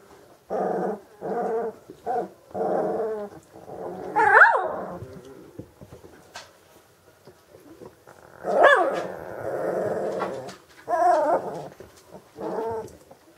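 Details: Magyar Vizsla hunting dog from old working lines voicing rich harmonic whine-howls in short bursts about one second apart, with two louder rising yelps near four and nine seconds.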